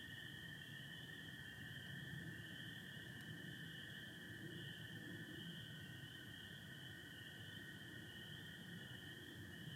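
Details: Michigan spring peepers with American toads, recorded 24 April 2025 beneath stars and satellites with partial overcast: two unbroken layers, a shrill high peeping chorus above a steady lower toad trill, plus faint low background rumble and one brief click.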